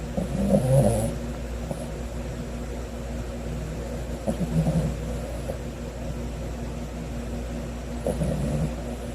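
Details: Napping on the afternoon of Sunday, 9 August 2020, the Cavalier King Charles Spaniel puppy Sodam gives soft, low snorts at roughly four-second intervals, quieter than steady room hum underneath.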